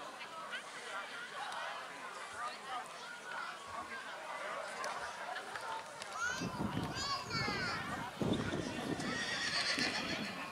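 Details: Black Forest Coldblood colt foal Dragan, born 18 April 2022, at the Kohlenbach foal show on 13 August 2022; rising, harmonic whinnies break out midway over steady announcer speech, with outdoor crowd murmur throughout.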